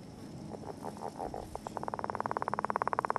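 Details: Northern leopard frog calling beside an egg mass during courtship: a soft series of pulses that speeds up and grows louder into a rapid, rattling snore of many even clicks.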